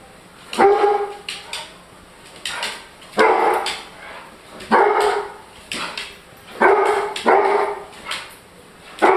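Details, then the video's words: Loud, reverberant barks from a German Shorthaired Pointer, each a harsh burst followed by an echoing tail, coming in pairs and singles roughly every one to two seconds over a steady high hiss. "German Shorthaired Pointer (GSP) Dog Barking Sound Effects. Pointer Makes The Loudest Barking Noise"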